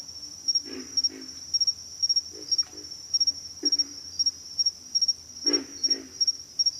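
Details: Pig frogs giving short, gruff grunts, mostly in pairs, spaced a second or more apart, over a loud steady chorus of high, evenly pulsed insect calls.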